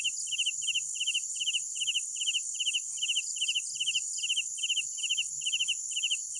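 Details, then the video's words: Crickets at night: quick trilled chirps repeated about two and a half times per second over a constant high-pitched insect drone, with soft low background rumble. "Sounds of Night Crickets"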